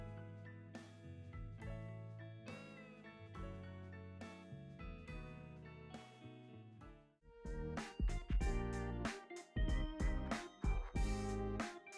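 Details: Plucked guitar music with a steady beat, growing louder and busier in the second half, with no animal sounds.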